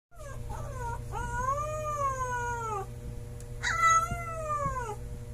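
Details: Siberian Husky puppy howling for the first time: drawn-out tonal howls with rich harmonics, rising then slowly falling over about two seconds, a short whine before and a second howl near the end, steady low hum beneath.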